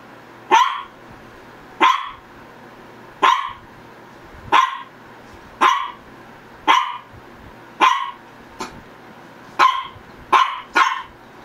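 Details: Repeated sharp barks from a Shih Tzu, one of the pets Ggung and Ssong, about ten yaps in quick, slightly uneven succession, closing with a tighter pair, over a faint constant hum.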